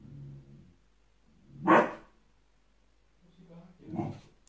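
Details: Samoyed puppy seeing itself in a mirror for the first time gives one loud, sharp bark, preceded by a low growly rumble and followed by a softer second bark mixed with a short low grumble.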